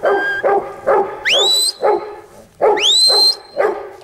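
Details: Huntaway dog barking hoarsely, interrupted twice by shrill rising yelps that level off into a sustained high whine.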